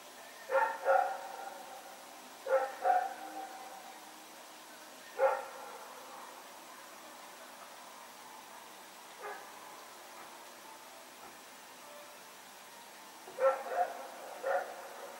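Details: Rex, a dog running around at night on September 21, 2018, barking irregularly at some distance: scattered single and double barks over a steady background hiss, one faint bark midway.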